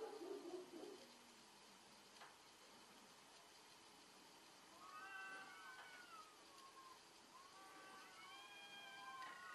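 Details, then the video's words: Cats in a fierce fight: a low growl at the start, then drawn-out harmonic yowls that rise and fall, one after another in the last four seconds, over a steady background hiss. "fierce fight of cats"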